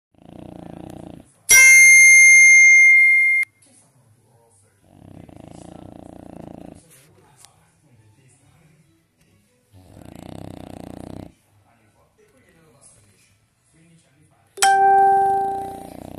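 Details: A sleeping French bulldog snores in slow, rough breaths, broken by loud electronic tones.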